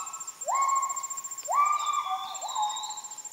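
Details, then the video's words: Kelempiau, Müller's gibbons, heard in rainforest at Sriwangi Village, Kapuas Hulu, Borneo, after moving off: clear whooping notes sweeping up then holding steady, repeated about once a second, over a thin high insect hum. "The Amazing Sounds of Kelempiau, a Rainforest Animal of Heart of Borneo"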